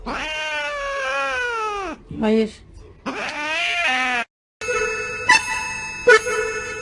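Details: Cat giving two long, drawn-out meows, each smooth and rich in overtones, first sliding slowly downward, second wavering, with a brief break between; ends with music and clattering sounds.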